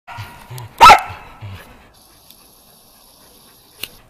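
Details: Shetland Sheepdog training agility on a dog walk with running contacts, 11 November 2013. One sharp, loud bark at about one second, preceded by soft low thumps, then near silence with a faint click at the end.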